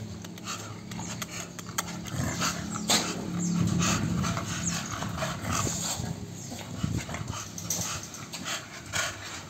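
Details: American Bully dog making rough, breathy snuffling and low grumbling sounds in quick irregular bursts, with a steady low hum and some handling noise in the background.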